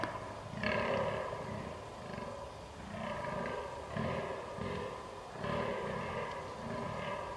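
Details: Fallow deer during the rut, recorded 22 October 2022 with a Canon R6 camera: deep, hoarse groans in a steady series of about two per second, each low burp-like pulse with rougher overtones, with brief louder bursts.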